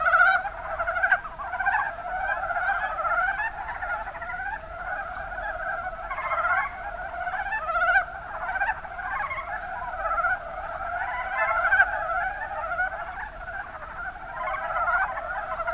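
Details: Chorus of mountain brown frogs, Rana ornativentris, Kuma Basin in Kumamoto, Japan: many overlapping quick, pulsed croaks run continuously, a rolling, chattering texture with occasional louder bursts rising above the mass.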